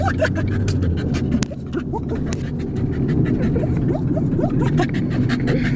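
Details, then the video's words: Dog giving a run of brief upward-sliding whimpers and squeaks, several close together near the end, against a constant low engine-like hum and some faint voices. "Funny dog sound"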